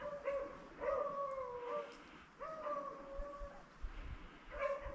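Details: Beagles on a February 2023 rabbit hunt in upstate New York, filmed with a GoPro: three long howling bays, each steady then sagging in pitch, separated by short gaps over a rough outdoor background.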